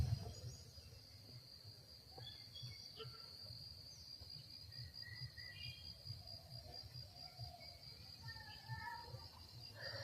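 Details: Crickets calling on a morning from a field of foreign grass near a village in Bangladesh, where many crickets live; a steady high thin continuous trill runs throughout, with low background rumble and faint scattered bird chirps.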